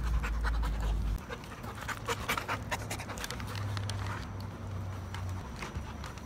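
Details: Lancelot, a bully breed puppy just adopted from a high kill shelter, panting in quick rough breaths with a low rumbling hum underneath.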